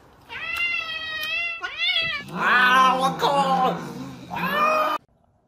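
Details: Cat giving a run of loud, drawn-out meows, some steady and level, others rising then falling into a wailing caterwaul, with short gaps between; a person speaks briefly nearby, indoors.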